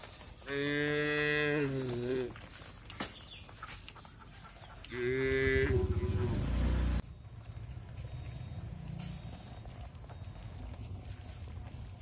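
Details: Tame cattle eating fresh grass in a green oil palm plantation in Indonesia. Two long, deep, harmonic moos about four seconds apart, the second rougher and louder, then a steady low rustling background.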